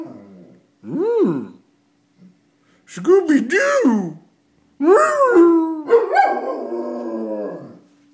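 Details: Pet dog howling at sirens, a series of long wavering howls that rise and fall in pitch, some breaking into higher yelping tones, with short quiet gaps between bursts.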